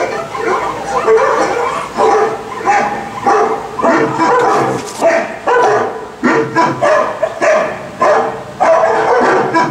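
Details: Ginger, a pet dog, reacting while listening to a Volkswagen commercial: a string of short, tonal yips and bark-like bursts about once a second, some with brief wavering pitch, over a steady background.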